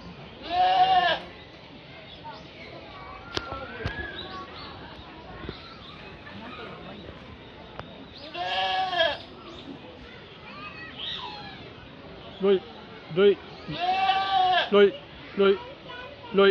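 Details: Goat at the children's zoo of Chikozan Park, Saitama, Japan, whose cry sounds strikingly like a human voice; three long, quavering, wavering bleats rich in harmonics, each about a second, with short choppier calls near the end and people chatting nearby.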